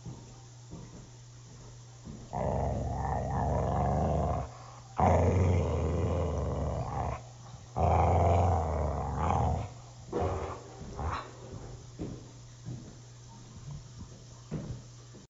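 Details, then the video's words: Mountain Cur, bored and wanting attention, a dog run at least 50 miles a week, gives deep rumbling growls in bursts of two to three seconds separated by quiet gaps, later breaking into shorter, fainter grumbles. "Vicious Mountain Cur-So you want a Cur breed. This is what bored and wanting attention looks like."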